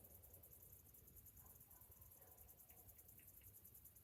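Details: A morning cicada chorus in summer: shrill, evenly pulsed buzzing holds steady from start to finish, with faint short chirps and a low background rumble.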